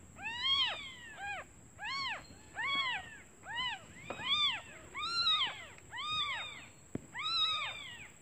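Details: Newborn kittens mew in high, arched cries, calling their mother because they are hungry while she is out looking for food.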